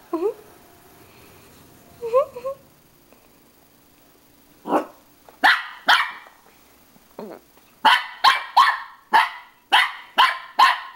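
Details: Pippin the dog reacting to his mirror reflection: thin wavering whines open the clip, then scattered barks build into a fast, steady volley of sharp barks over the last three seconds.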